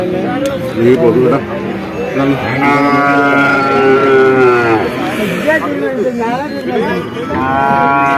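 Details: Young bull calves at Vaniyamkulam market; loud bawling moos with falling, strained tones repeat several times, mixed with nearby men talking amid market noise.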